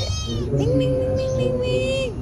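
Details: Domestic cat named Boy, described as noisy, giving a long drawn-out meow that holds one steady tone for about a second and a half before dropping away, with faint human voices underneath.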